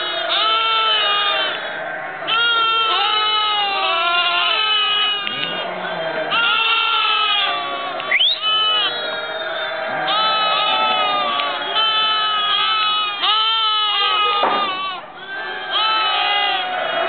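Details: Lambs bleating in November 2009: a dense, almost unbroken chorus of many overlapping wavering bleats, some long and quavering, others short and rising, continuing throughout with barely a pause.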